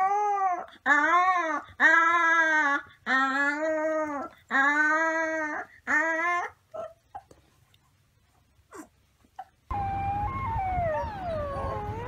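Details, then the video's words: Gray wolf pups howling: a run of six short, arched, harmonic-rich howls, each about a second long with falling ends, then scattered yips and whimpers, followed by a burst of overlapping wavering cries. "Baby Wolf Pups Howling"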